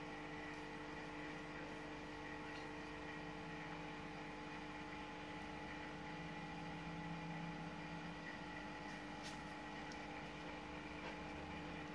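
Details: Constant mechanical hum with steady tones, like a fan or motor running, fills the recording without any animal calls.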